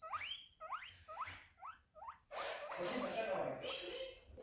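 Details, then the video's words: Guinea pig squeals, possibly for attention or pain: five rising whistled squeaks roughly every half second, followed by a burst of broadband rustling and chatter-like noise. "Guinea pig noises"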